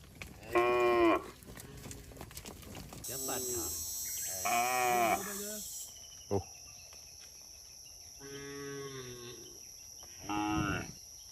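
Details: Cows roaming the road in a herd give a series of about five uneven moos over eleven seconds, some loud and some muffled, with a brief clatter and a high background hiss.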